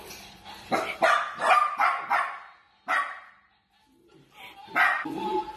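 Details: Playful Dachshund barking in a quick, irregular run of sharp, broadband barks over the first two and a half seconds, then a single bark after a short pause and another short burst near the end.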